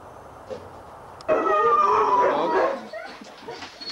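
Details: Huskies at a sled dog race weekend in the Forest of Dean, November 2001, taped on VHS: after a quiet second, a sudden loud burst of overlapping high, wavering yelps and whines for about a second and a half, then fading back to murmur.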